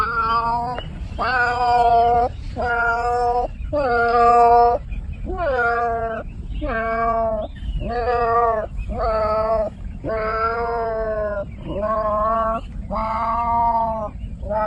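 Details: Cats meowing insistently: about eleven loud, wavering meows in quick succession, some rising then falling, spaced roughly a second apart, with a low hum in the background.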